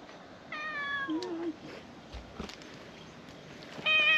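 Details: Domestic cat in a park with stray cats, a milk-tea coloured cat playing happily as a black-masked cat approaches; a clear meow falling in pitch, then a louder, brighter meow near the end, with quiet background hiss.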